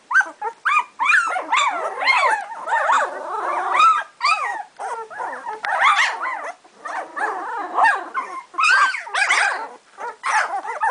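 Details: Two-week-old puppies of Sami and Drake, a litter calling together: dense overlapping squeals and whines, rising and falling in rapid bursts with short gaps, nearly continuous for the whole stretch.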